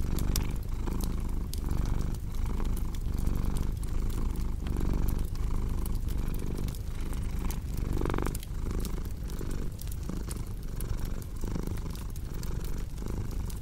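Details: Domestic cat purring steadily and low, the rumble swelling and fading in breath cycles about 38 times a minute, with sharp crackles and pops from a fireplace scattered throughout.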